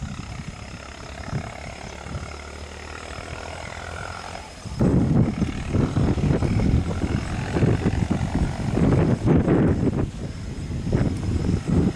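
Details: Low rumbling engine or wind noise, growing heavier and gustier halfway through, with no animal calls.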